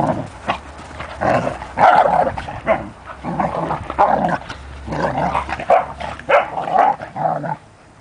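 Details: Standard poodle named Juki, a mother dog growing up with her puppies Rufous and Brutus; rough growling and barking in repeated bursts, several sounds close together, possibly playful, with a low hum beneath.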